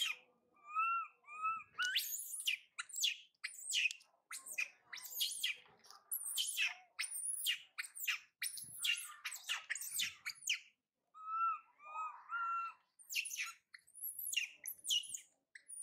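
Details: Baby monkey Mila, a spoiled youngster, cries after mother Malika goes far off for food and runs to brother Marto, who rejects her. High, arching wails with harmonics alternate with dense bursts of sharp squeaks and squawks.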